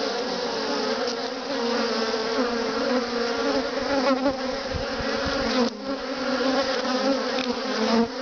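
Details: Many Western honey bees on freely drawn comb in a top bar hive, filling the air with a continuous, low droning buzz of overlapping wingbeats that blend into one full, slightly wavering hum barely changing in loudness.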